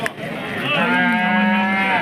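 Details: Hallikar cattle at the Monday KG Temple cattle market, crowded after a night of rain. A single long, steady, low moo with rich harmonics holds for over a second after a brief rising start, over a background murmur of people.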